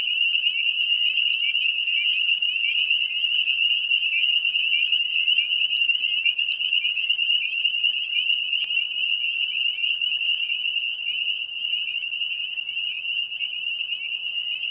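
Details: Mating-season chorus of many spring peepers in grassy lowlands by ponds and swamps, a steady piercing high-pitched trill with rapid overlapping chirps, slightly fading toward the end.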